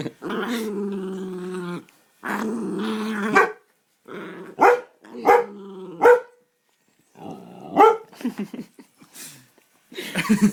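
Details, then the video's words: Pet dog making funny noises: two long, steady droning whine-howls lasting over a second each, then a run of short, clipped barks and grunts with pauses between them. "Funny dog noises"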